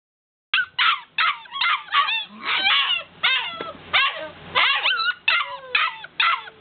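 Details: Several Golden Retriever puppies wanting to be let out, crying in a dense chorus of high, wavering whines and yips that overlap and repeat roughly twice a second, each one bending up and down in pitch.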